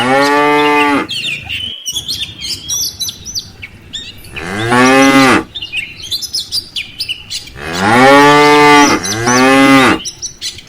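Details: Tame village cows returning in a herd to their pen in the afternoon. Long, rich moos: one at the start, another midway, then two close together near the end, with steady birdsong chirping behind.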